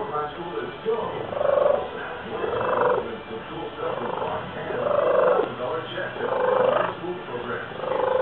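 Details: Loud purring of a male domestic cat, said to sound like a pigeon; repeated tonal, cooing bouts rising and falling about every one and a half seconds, with a person softly praising the cat just before.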